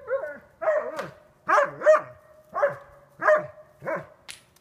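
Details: Sasha, a dog blind since April 7, 2016, playing about two weeks after losing her vision: seven short bursts of yipping, whining play barks, roughly one every half second to second, over a faint steady hum.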